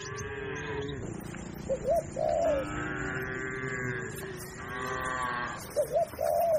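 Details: Tame cattle, part of a herd of hundreds of cows and oxen grazing on a wide green pasture beside a herder, give drawn-out, level, harmonic moos; pigeon-like cooing overlaps several times.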